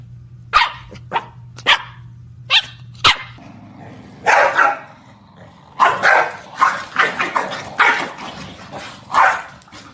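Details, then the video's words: Corgi giving a series of quick barks, single and paired, then a longer run of louder, rougher barks and yips packed closely together toward the end, over a faint low hum. "Compilation of corgis talking!"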